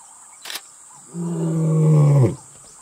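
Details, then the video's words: Imbali male lion in Kruger National Park, South Africa, announcing his presence in the company of the Mantimahle lioness: a single deep, drawn-out moan that swells in loudness for about a second before cutting off, with a brief click just before. "Male lion Announces Presence in Company of Lioness"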